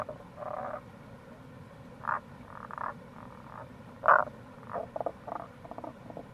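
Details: Tago's brown frogs in April near a gorge at the Kamo River, Itoshima, Fukuoka, Japan: soft, grating croaks and a few short pulsed rattles, one louder croak in the middle, over constant running-water noise.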